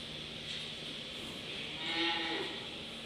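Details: Dairy-breed calves, one described as a fine female calf: a short harmonic moo swells near the two-second mark, lasting under a second, over steady broadband hiss with a man talking nearby.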